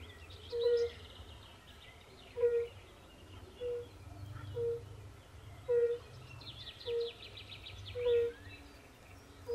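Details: Forest-pond chorus of European fire-bellied toads, with pool frogs also calling. Mellow hooting notes sound roughly every second in a steady series. Faint buzzy, rattling calls from other frogs rise above them, over low background rumble.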